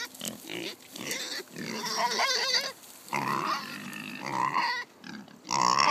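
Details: Kunekune pigs on a farm, excited while being fed pumpkin, one sow dancing with excitement: a noisy run of harsh squeals and grunting bursts repeating roughly every second, some rising into shrill high squeals, with short pauses between.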